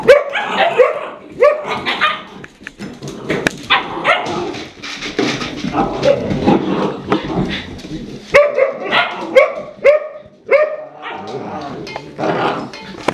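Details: Red Standard Poodle mother trying to discipline her unruly puppies; dense tangle of overlapping barks, growls and squeaky yips, with a woman speaking over the noise.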